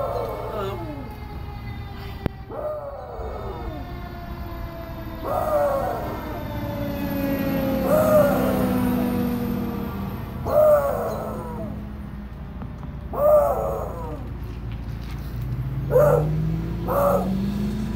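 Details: A male beagle howls at a passing fire truck siren in repeated, falling, mournful bays about every two and a half seconds.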